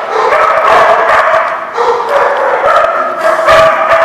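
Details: Many dogs barking at once on 16 May 2016, a dense, nonstop din of overlapping sharp barks and yips with no pauses.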